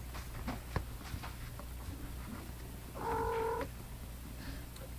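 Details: Mother cat nursing her seven 19-day-old kittens, born July 29, 2011, including two sets of twins: a steady low purr runs throughout, broken by one short, clear, tonal mew midway, in a quiet room.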